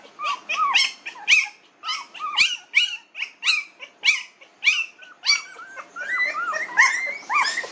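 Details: Newborn puppies, 19 days old, whimper in a steady run of short, high, rising-then-falling squeals, roughly two per second, with a few voices overlapping toward the end.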